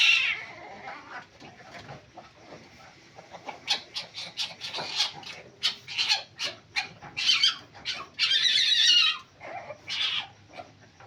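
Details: Palm civet starting with a thin whine, then a rapid run of short, sharp, noisy notes broken by two longer harsh screeches, and a final rasping burst.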